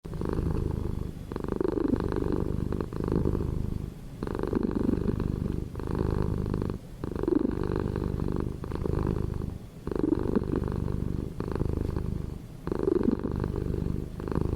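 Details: Domestic cat purring steadily, a low rumbling vibration in rhythmic cycles of inhale and exhale, roughly every two to three seconds, close up with no other sounds.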